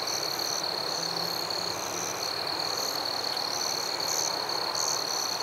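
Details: A chorus of crickets in a forest at night: one unbroken high-pitched ringing tone, plus intermittent brighter pulsed chirps above it and a low hum briefly near the start.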